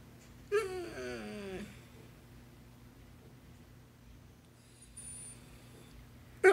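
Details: Vocal basset hound indoors 'talking', as if trying to tell its owner something: a single wavering, moan-like howl of about one second that wobbles and slides downward, followed by a quiet room with faint clicks.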